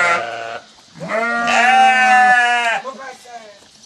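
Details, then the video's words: Sheep calling back to a farmer summoning them, a short bleat first, then a loud sustained trembling bleat of about one and a half seconds, fading into softer bleats. "Farmer Calling His Sheep"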